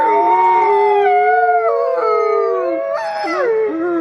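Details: Several gray wolves howl together, long smooth tones overlapping and sliding up and down in pitch.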